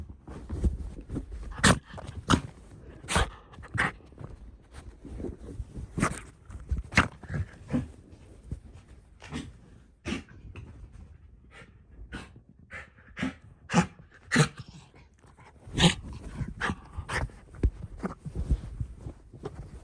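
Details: Shiba Inu Ranmaru in a room, running joyfully around a blanket after smelling his sister hidden beneath it, home after three months away; sharp bursts of dog noise and clattering steps amid scrabbling.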